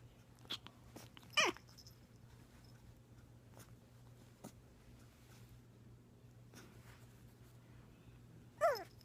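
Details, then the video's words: Young puppy in a small indoor room making two brief, high whimpering yelps that slide downward in pitch, one near the start and one at the end, separated by quiet with faint clicks and a low steady hum. "making puppy noises"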